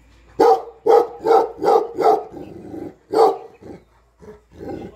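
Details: Guard dog of Nepal, a Tibetan Mastiff (Bhote Kukur) protecting home and farm in the owner's absence; five fast heavy barks, a short break, one more bark, then softer trailing woofs.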